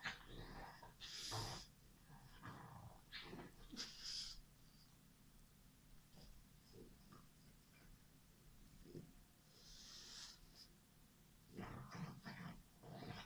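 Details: White and black French Bulldog kept as a pet, giving short breathy snorts and grunting puffs in irregular bursts with quiet gaps, some hissy high wheezing breaths between.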